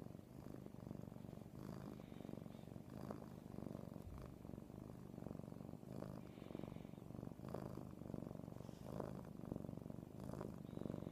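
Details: Domestic cat purring hard while being spooned, heard close: a steady low rumbling purr pulsing with each breath, about forty cycles a minute, soft and continuous.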